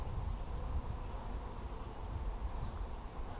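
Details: Steady low wind rumble buffets the microphone outdoors, with no other distinct sounds.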